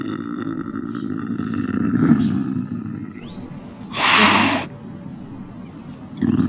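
A lynx gives a harsh, breathy growl and a loud rasping burst over a low rumbling background.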